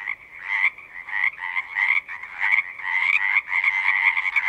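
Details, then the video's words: Frogs singing together in a natural setting, a dense chorus of trilled croaks swelling and dipping in bursts about every half second, steady high ringing tone running underneath throughout. "One hour of singing frogs"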